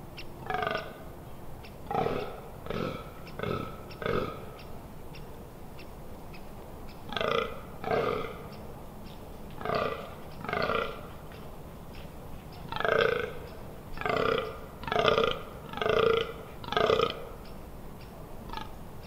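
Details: Rutting fallow deer on 18 October 2021, Amsterdam Water Supply Dunes: bouts of hoarse, burping groans, each short and rhythmic, broken by brief pauses, growing louder toward the end, roughly seventeen groans in all.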